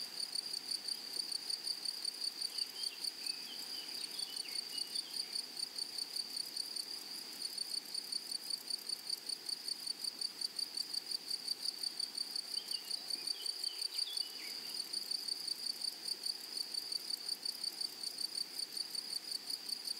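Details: Grasshoppers singing across a flowery prairie meadow, a sustained piercing high drone pulsing steadily for the whole stretch, with occasional faint high chirps early on and a soft low rumble partway through.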